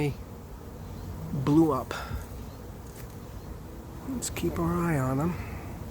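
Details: Honey bees from a late-season swarm moving into an empty, unprepared hive; two loud buzzing passes as bees fly close by, the tone sliding up and down as each one approaches and leaves, over a low steady hum.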